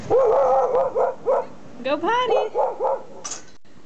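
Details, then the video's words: Pet Siberian Husky female in her yard, reacting to an odd trash can: a rapid string of harmonic, wavering woo-like barks and yowls, some rising and falling in pitch, about four per second, with a short high squeak near the end. "Husky vs a trash can"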